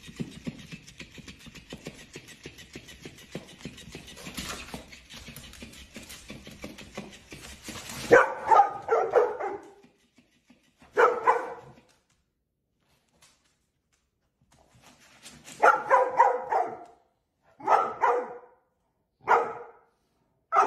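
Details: Labrador Retriever barking in short clustered bursts of two or three after several seconds of steady background noise, with a long silent pause before a final run of repeated barks.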